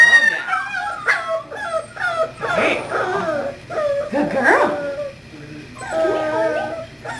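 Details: English Springer Spaniel puppy Kahlua, a five-week-old female recorded on 1-14-12, whimpers and yips in a string of bent, wavering tones with brief howl-like notes, over a person's steady praise and commands.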